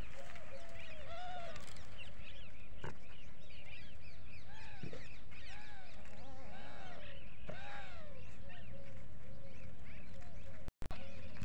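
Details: Several goats on a desi goat farm bleat over one another in short, wavering, nasal cries that rise and fall.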